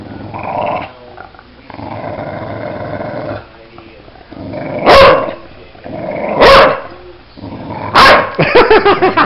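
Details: Playing Bulldog growling low over a murmur of human speech, then letting out three sharp, loud barks spaced about one and a half seconds apart.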